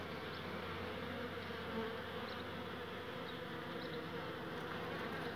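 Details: Old, exhausted honey bee at its hive after a collecting journey, too worn out to go back inside. A steady low buzzing hum holds throughout with no breaks, and faint higher ticks sit above it.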